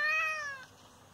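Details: Injured father cat, hit by someone, meowing indoors: a single short meow, falling in pitch and fading out within about half a second.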